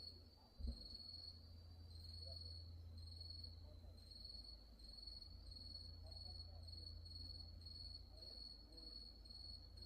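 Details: Grass insects at Wonhyosa temple on Mudeungsan at nightfall, October 2024, sing a steady, finely pulsed high trill; a single sharp knock comes near the start, and a faraway temple bell drones deep beneath.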